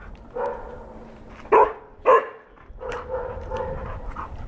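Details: Golden retriever puppy, four months old, reacting to its first cow and chasing it. Two sharp, loud barks come in quick succession mid-clip, with quieter, lower barking and whining before and after.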